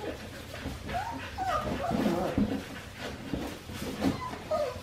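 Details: Australian Shepherd puppies of Winnie's litter, four weeks five days old, on a farm baby cam: soft wavering whimpers slide up and down repeatedly, with low murmuring and rustling underneath.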